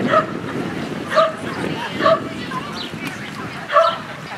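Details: Norwich Terrier giving four short, sharp, high-pitched yapping barks, spaced roughly one to one and a half seconds apart, with a faint murmur of voices in the background.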